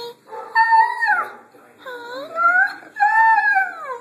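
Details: A Siberian Husky with a twisted ankle, hurt in a hole he dug, talks in three drawn-out, wavering, howl-like phrases bending up and down in pitch, as if telling how his leg hurts.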